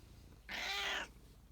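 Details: Female house cat making a funny noise while meowing and shaking her head indoors; a single clear, tonal meow of about half a second, bright and steady, with a flat pitch, over a low background hum.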